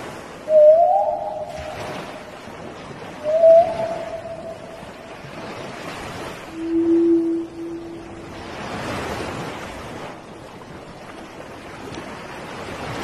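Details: Gray whales in Baja California, Mexico: three short tonal moans, the first two rising slightly and the third lower and flat, spaced a few seconds apart, followed by broad splashing, watery bursts.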